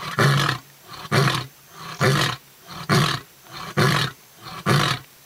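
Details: Lion in South Africa's Kruger National Park, Londolozi, giving short grunting, burp-like roars after its big roar; six deep coarse pulses about one per second, evenly spaced with quiet gaps.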